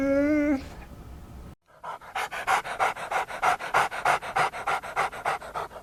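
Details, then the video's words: A dog pants in quick, rhythmic breathy bursts, about three per second and fairly even, after a brief tonal sound and a short silent gap. "Interesting sounds of familiar animals: cat,cow, horse,dog, monkey,duck"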